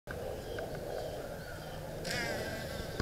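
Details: A western honey bee (Apis mellifera) in Heights Park, Dallas County, Texas, hums with a steady, low buzz that swells louder as it draws near.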